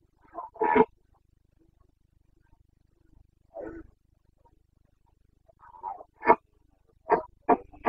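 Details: Carpathian red deer stag in the Bucovina mountains during the rut, 29 September 2022, giving brief, harsh grunting bursts spaced by quiet gaps, quickening into a run of short grunts at the end.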